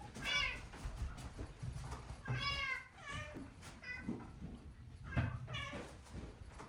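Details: Cats at a shelter housed in a closed-down school in Japan; a series of drawn-out, wavering meows, about four calls spread across the clip, with low room rumble and faint human speech in the background.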